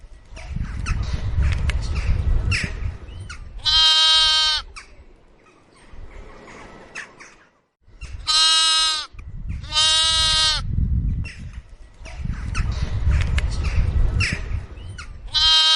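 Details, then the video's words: Pet goat giving four loud harmonic bleats at irregular intervals, two close together near the middle, with low rumbling noise and faint clicks between the calls. "suara kambing kesayangan"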